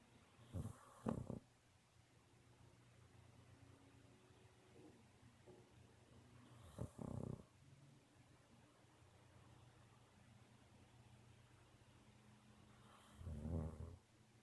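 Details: Pet dog Sophie asleep and snoring, three loud raspy snorting breaths spaced about six seconds apart, each a brief noisy burst with quiet low hum between them indoors.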